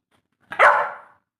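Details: Labrador Retriever giving a single short, loud bark that swells quickly and then fades over about half a second, with no other sounds around it.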